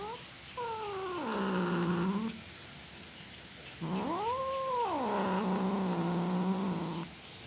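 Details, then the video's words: Domestic cat giving long drawn-out yowls, described as roaring: two wails about two seconds each, the second rising then falling in an arched sweep before settling into a low, steady moan, separated by a short pause. "the sound of a cat roaring"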